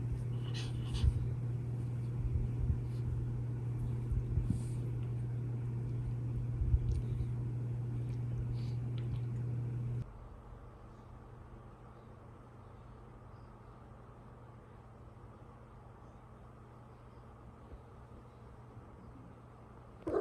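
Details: A female Shiba Inu digs and scratches at soft bedding in quick, rustling strokes while making her bed on a long autumn night.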